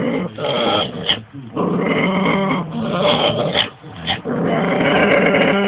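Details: Two domestic dogs at home: one holding a big bone in her mouth growls continuously to keep it while the other barks at her; harsh, rasping, bleat-like growling with brief breaks and sharp barks throughout.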